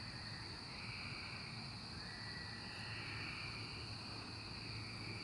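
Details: Cicadas during the 2024 emergence, a steady high shrill drone held without a break, with a fainter band beneath it, over a continuous low rumble that sounds like distant traffic.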